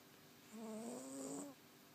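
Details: Rosie, a 20-week-old Cavalier King Charles Spaniel puppy, snoring in her sleep: a single soft drawn-out snore lasting about a second, a smooth nasal tone with stacked harmonics rising gently, then quiet.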